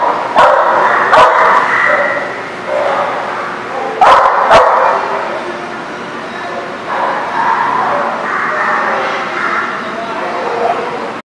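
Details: Dogs barking at a dog lot on 25 January 2019; overlapping bursts of sharp barks and yips come in irregular clusters, with a few loud clicks and a steady background din between bursts.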